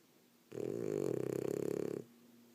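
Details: Female French Bulldog snoring after a rough day of play: one long rattling, throaty breath of about a second and a half, a fluttering buzz with rapid regular pulses, set in a quiet indoor room.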